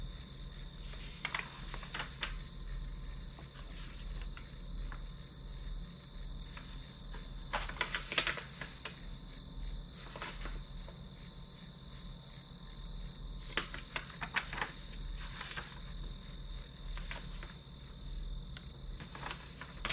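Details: High, pulsed chirping of grass insects runs continuously beneath the quiet clatter of study: scattered taps, clicks and rustles, some in clusters near eight and fourteen seconds.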